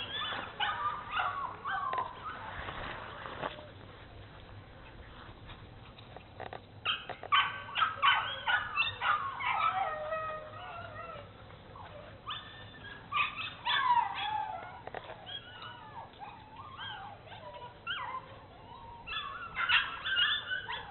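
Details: Exploring Bernese Mountain Dogs Mrs. Red and Mr. Green at Cape Bernese Kennel whine and yip in scattered high squeaky bursts, quieter stretches between, some rustling and a low background hum throughout.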